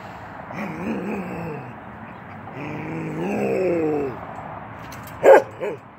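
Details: A 10-month-old male Norwegian Elkhound named Keweenaw playing through a fence: wavering, moaning growl-whines in two long stretches, followed by one sharp bark near the end.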